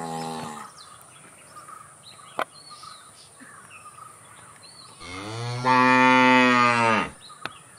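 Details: A cow gives one loud, drawn-out moo lasting about two seconds that swells and then stops abruptly, following the tail of an earlier moo, over a constant high insect-like hum and faint bird chirps.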